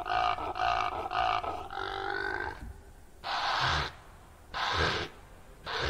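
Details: Male impala rutting call during the breeding season, mainly April and May, while chasing rivals or herding females: four drawn-out, harmonic barking roars, then three loud, harsh nasal snorts spaced about a second apart.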